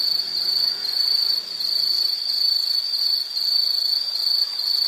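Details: Unbroken high-pitched insect trill, a bright ringing tone that wavers gently in volume, with soft low rumble underneath.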